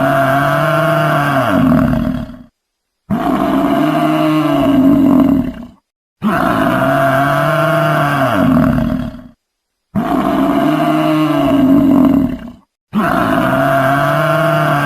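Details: Four to five long, resonant moans from a buffalo, each steady and rich in overtones and lasting two to three seconds, separated by abrupt pauses.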